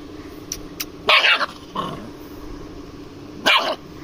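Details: Aggressive dog guarding its food and refusing to share; two sharp, loud barks about two seconds apart with a growly bark between them, faint clicks early on.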